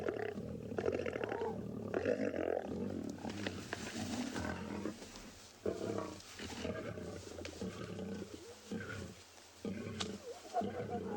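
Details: Lions and cubs feeding in Tswalu Kalahari Game Reserve, South Africa, early morning of 25 May 2020: uneven rumbling growls and snarls with gaps between bursts, alongside cub contact calls, during a squabble over food.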